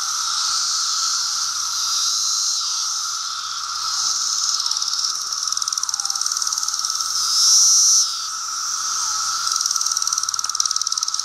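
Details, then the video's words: Seventeen-year Brood II periodical cicadas among apple trees in Virginia, June 2013, bright daylight: unbroken shrill buzzing chorus with a lower droning tone, a louder swell near the end, and quick rhythmic pulses running through it. "Cicadas 17 year Brood II"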